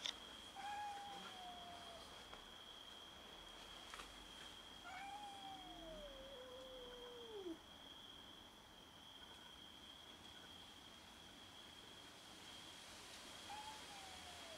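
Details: Domestic cats quarrelling over food give plaintive meows: a falling cry near the start, a longer bending wail around five to seven seconds, and a short one at the end, over a constant high-pitched hum.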